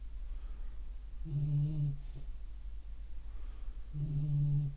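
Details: Beagle asleep and snoring, two low humming snores about two and a half seconds apart with soft overtones, a sharp noise at the very end.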